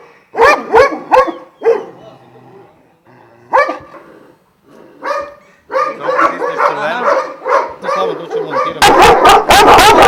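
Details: Twelve Šarplaninac guardian dogs of Vujanski descent kept at a kennel in Jasika near Kruševac: scattered hoarse barks build into a crowded chorus, ending in a harsh, noisy burst of rapid barking.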